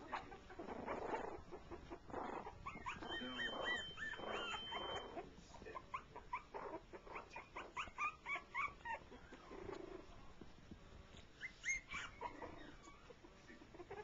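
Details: Shorty Jack Russell Terrier pups, three weeks old, playing together at their first meeting alongside a four-month-old pup; rapid strings of squeaky yips and small growly whines, and a steady high electronic tone for a couple of seconds.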